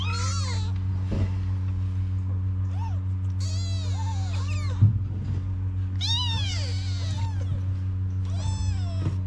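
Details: Kittens living on the street in Morocco cry for their mother, Mama the Cat, who comes to nurse them. A handful of high, wavering meows come in clusters, with a soft thump midway and a steady low hum.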